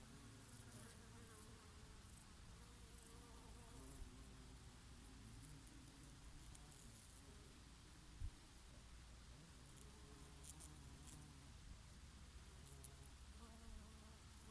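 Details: Summer buzzing of bees feeding on oregano blossoms, a bumblebee here and there; overlapping low hums that rise and fall in pitch as insects move about, one brief tap near the middle, gentle breeze behind.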